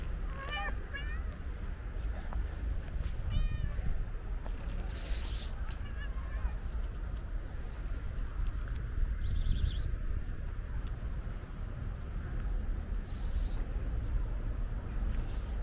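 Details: Energetic stray tuxedo cat jumping and grabbing a person's leg; two short wavering meows in the first four seconds, then steady low rumbling background noise with occasional brief hissy bursts.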